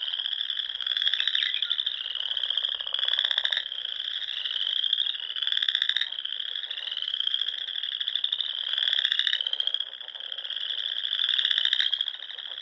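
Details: Frogs fill the air at dusk by Nebraska Sandhills lakes in spring, a dense high-pitched trilling chorus with repeated pulsed calls rising and falling in waves.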